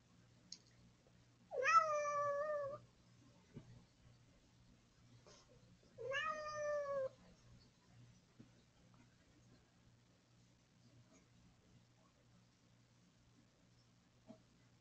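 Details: A cat at breakfast time, presumably hungry, gives two loud, drawn-out meows about four seconds apart, each lasting about a second with a rich harmonic tone, then stays quiet over a low steady hum.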